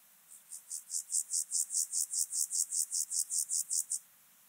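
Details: On Obir in Austria, 30 July 2022, an Alpine grasshopper sings through an ultrasound detector: about eighteen sharp, high, scratchy pulses at a steady quick rate, swelling then stopping abruptly.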